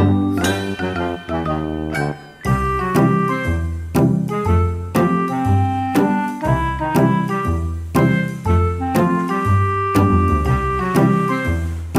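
Only music is heard, a bright chiming melody over a steady bass line, with no animal calls.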